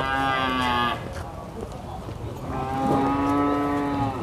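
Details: Cattle at the Prambanan cattle market, two drawn-out low moos, the first under a second long, the second nearly two seconds and steady in pitch, over a constant crowd murmur and market bustle.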